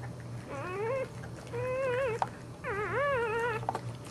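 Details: Newborn Boxer puppies during birth: three drawn-out, whiny whimpers with wavering pitch, each about half a second to a second long, separated by short pauses, over a low steady hum.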